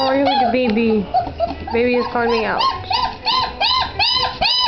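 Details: Great Dane puppies indoors, recorded on 01-27-09: high whining whimpers and yelps, arched tonal calls repeating quickly and overlapping, with lower wavering whines early on.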